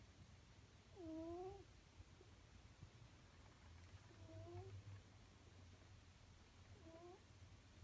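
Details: A pet cat snores in its sleep. Three quiet, whistled, upward-curving tones come with each breath, about every three seconds, over a low steady hum.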